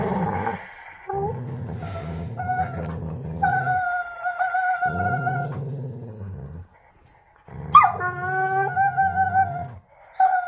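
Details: A pet dog during tug play makes strange noises: a low, rumbling growl runs throughout, with high, wavering whines on top around four and eight seconds, separated by short pauses.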